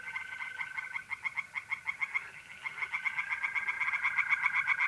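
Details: Pond-dwelling tree frogs calling by night in mid-April in north-east Italy; rapid pulsed croaks pile up into a thick, insistent chorus over the even, unbroken trill of mole crickets.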